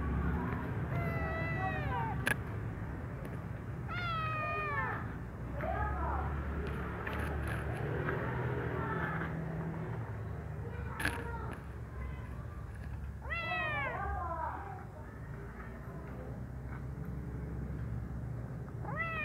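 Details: Brown kitten playing in its room, giving a series of clear, high meows with falling, arched tones, a few seconds apart across the recording, over a steady low hum and faint background voices.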